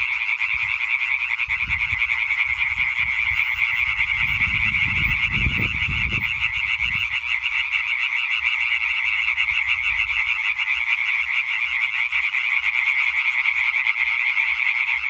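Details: European tree frogs calling together in a concert, 20 May 2023: an unbroken mass of fast, raspy croaks from many males, steady in loudness throughout, with some low rumbling noise early on.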